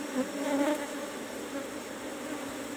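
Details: Asian honey bees (Apis cerana) in cultivation box number 17 during a honey harvest: a steady, low humming drone with a brief louder swell near the start, the hive's swarm buzzing continuously throughout.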